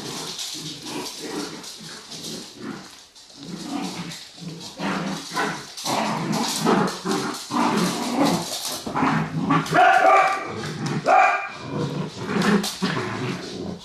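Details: Dachshunds Honey and MJ in a family home after one takes the other's ball; rumbling growls and bursts of barking come in uneven waves, with brief higher yelps near the end.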